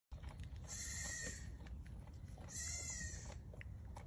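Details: Goat giving two high, strained bleats about two seconds apart, each long and quavering with a bright, nasal ring, over steady low rumbling background noise.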